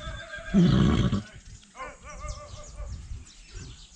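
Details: Quarter Horse foal, one of a series following its growth from five days to five months, gives a short, loud, voiced whinny lasting under a second, with rich low harmonics. A man's speech follows amid rural background noise.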